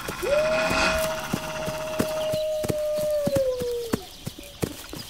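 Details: One long, even wolf howl rises briefly, holds a steady pitch for nearly four seconds, then dips at the end, over a rough noisy background with scattered clicks.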